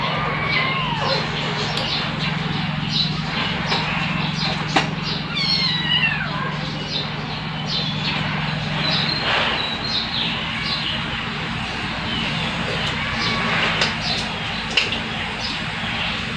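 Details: Bunso, a rescued domestic cat, playing with her babies; scattered high, bending mews and quick wavering cries over a constant low droning hum and background clatter.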